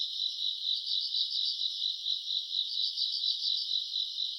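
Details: Grass insects on a summer night, recorded in August, giving a dense, continuous high-pitched chirring with rapid pulsing trills that swell and fade roughly twice a second; no other sounds stand out.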